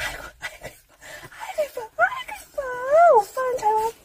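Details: Puppy happily greeting a person it loves as much as treats; a series of high, wavering whines rising and falling in pitch, the longest near the end, following a woman's voice speaking Korean.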